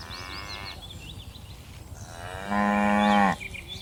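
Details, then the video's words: A herd of dozens of tame cattle leaping down a hillside on a mountain slope. One cow gives a single short, low, harmonic-rich moo lasting under a second, after a stretch of quiet background with small high birds chirping. "Suara lucu sapi moo"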